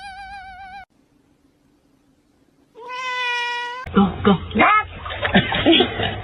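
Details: Domestic cat in a funny cats compilation: a brief wavering meow, a pause, then a longer, even, mid-pitched meow, followed by music and overlapping voices.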